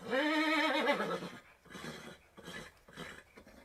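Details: Horse giving a lower, rounded call that falls away after one second, followed by soft, pulsing breathy nickers.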